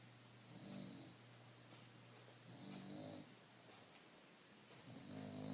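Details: A relaxed pet bulldog, unstressed, snoring indoors: soft low rumbling snores rising and fading in slow cycles about every two seconds, with faint breathy hiss between them and a steady low hum underneath.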